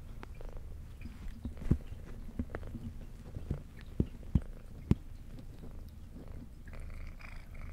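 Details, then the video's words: Female brown tabby cat with white underside, adopted at two years old, purring indoors while eating: a steady low rumbling purr under sharp, irregular chewing clicks and crunches. "Cat Purring"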